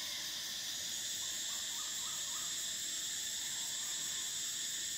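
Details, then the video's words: Summer cicada song as an unbroken, high, hissing drone in several layered bands, with a brief run of four or five faint lower chirps near the start. "Cicadas: the sound of summer"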